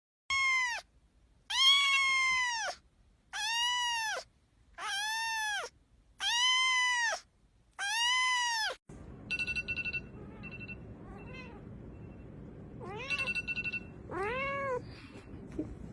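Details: Kittens meowing: six loud, even, arched meows about one per second, each rising then falling, followed by quieter, higher mews over a faint background hum.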